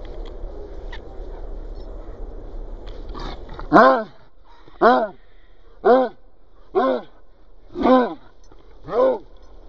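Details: Cocker Spaniel Benjie barking to demand that a ball be thrown: six sharp, loud barks at roughly one-second intervals in the second half, after a stretch of quieter low murmuring and faint voices.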